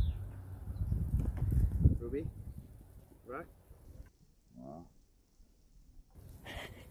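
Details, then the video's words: Boston Terrier puppies, teased with steaks, get mad: three short, tonal, bending yelp-like whines spaced about a second apart follow a stretch of human speech and handling noise, then a quiet pause and a brief rustle. "Teasing My Boston Terrier Puppies With Steaks (They Got MAD!)"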